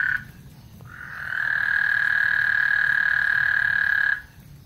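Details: Frogs singing on Lake Houston before a thunderstorm: a brief note, then a steady, buzzy trill starting after one second and holding an even pitch for about three seconds, with faint low rumbling underneath.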